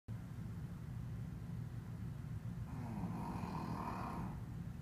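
A Shih Tzu snores with low, rumbling, raspy breaths.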